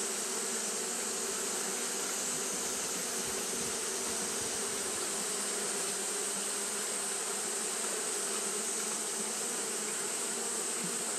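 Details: Steady droning of Japanese honey bees fanning on a hot day, the hum rich and even with a brief low swell midway, all under a continuous high hiss.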